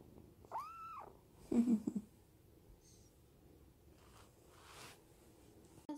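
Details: Indoor Munchkin kitten reacting to its owner's touch with one clear arched meow, then brief low chirrups and quiet rustling in a small room.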